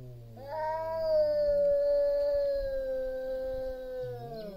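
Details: A big male cat facing a rival over territory holds one long, steady, nasal yowl for several seconds, while a lower growling moan from the second male sounds at the start and end.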